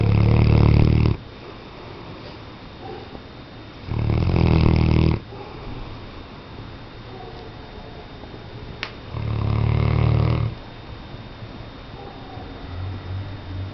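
A Weimaraner snores in deep, rumbling bursts, each lasting about a second with quiet breathing between.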